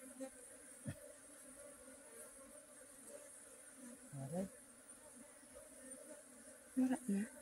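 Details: Honey bee drone, a low continuous hum with an overtone. Short louder low bursts and knocks interrupt it near the middle and the end, over a faint high hiss.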